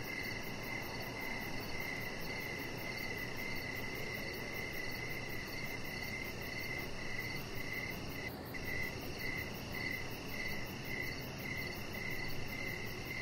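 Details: Crickets chirping outdoors in the evening beside a deck: a steady chorus of rapid, evenly pulsed mid-high chirps, layered with a continuous thin high-pitched trill and a low, constant rumbling hiss beneath.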